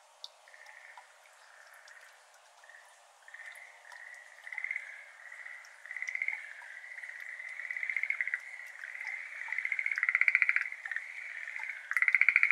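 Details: Schlegel's green tree frogs, Japanese endemics, calling at dusk on 17 May 2022 in a flooded iris garden. Soft tones build gradually into louder pulsed trills toward the end, with scattered water-drop ticks.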